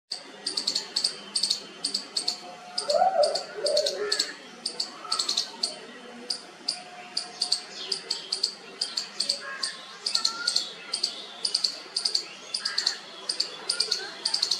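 A squirrel gives a long run of sharp, high chipping notes, repeated several times a second.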